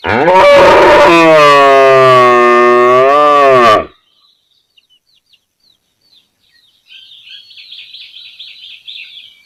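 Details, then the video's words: Cow recorded in a village area, giving one loud, long harmonic moo lasting about four seconds, steady then fading, followed by silence and then faint high chirping of small birds. "Cow Sound Effects Mooing Mooing"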